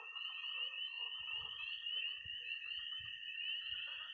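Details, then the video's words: Early spring night in Missouri with peeping tree frogs, croaking pond frogs and high-pitched trilling toads: a constant piercing trill dominates, softer croaks beneath, and scattered low thuds in the second half. "20 minutes of toads and frogs, sound only!"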